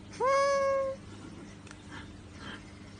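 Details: Single clear cat meow, rising sharply then holding a steady level tone for under a second, followed by quiet room noise with faint soft rustles.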